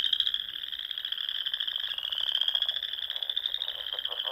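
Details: Frogs calling at dusk in spring among Nebraska Sandhills ponds, a constant shrill pulsed trill from many callers, steady and unbroken, with faint lower clicks near the end.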